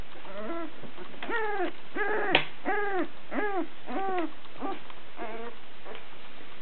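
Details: Two-week-old Sussex Spaniel puppies, all female, give a run of high, harmonic whimpers and squeaks, each a short rising-then-falling cry, about eight in quick succession with a brief sharp click midway.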